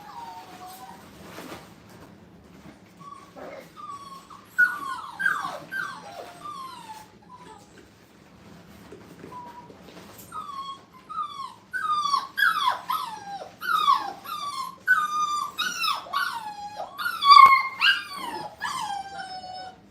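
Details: Five-week-old puppies newly placed in a playpen let out thin, downward-slurred whimpers, sparse at first, then building into a dense, insistent run of overlapping whines and sharp yelps.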